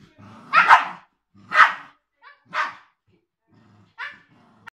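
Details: Three-month-old Siberian Husky puppy and eight-year-old Cairn Terrier playing, four loud barks spaced about a second apart, each fading quickly, with soft growling underneath.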